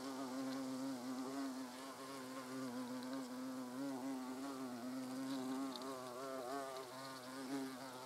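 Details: Buzzing of European hornets at the nest entrance, a continuous humming drone with gently wobbling pitch and layered tones, as if several hornets are flying close together, and a few faint clicks behind.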